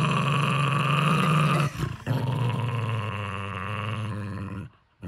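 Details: Guarding his stuffed monkey, Henry the Jack Russell Terrier holds a low, throaty growl with a pulsing rumble. It dips briefly once, resumes, then fades to silence at the close.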